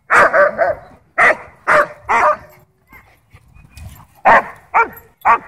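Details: German Shepherd territorial over toys and personal space at a dog park, barking to demand the ball; Bodhi barks back playfully. Clusters of rapid, loud barks, two to three at a time, split by a short lull with soft voices.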